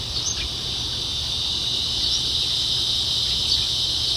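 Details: Cicadas calling around 8 pm in front of a house in a very quiet village in America, a continuous high, hissing buzz held without a break, with a garden waterfall murmuring faintly underneath.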